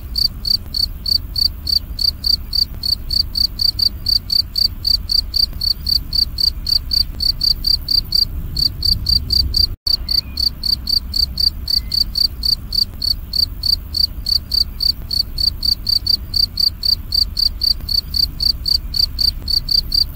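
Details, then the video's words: Continuous loud cricket chirping, crisp high pulses evenly repeated about four per second over twenty seconds, a single momentary gap, soft low rumble beneath. "Jangkrik Ngerik Berbunyi Nyaring & Jernih"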